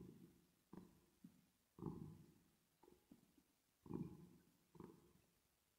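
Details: Cat purring as it rests and sleeps, treated with reverb; deep throbbing pulses come roughly every second, some strong and some weak, each trailing off into a soft echoing decay.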